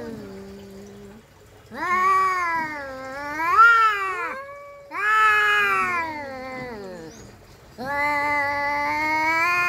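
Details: Two domestic cats in a fight exchange long, bending howls, one low and steady, another higher and rising into a strained wail, with a short pause midway.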